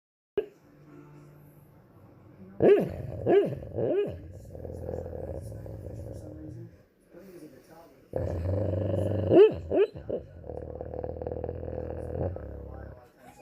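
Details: Rottweiler. A Rottweiler puppy makes soft, muffled barks in short bursts, mixed with low throaty growls and rough snoring breaths. The sounds come in uneven clusters, with a quiet indoor hush between them.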